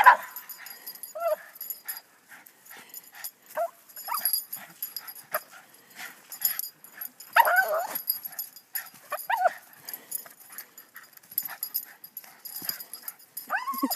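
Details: Boston Terrier playing with a hockey stick, tiring itself out: short high yips and whimpers at irregular intervals, a few rising and falling whines, with people laughing and talking in the background.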